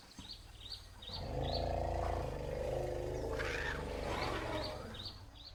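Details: Struggling newborn African elephant in the wild in Africa: after a soft start, a deep, harmonically rich rumble swells for about three and a half seconds before fading, while small birds chirp repeatedly overhead.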